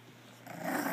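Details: Bulldog father named George with his puppies indoors: a short, rough, noisy growl that swells over the last half second, following quiet room tone.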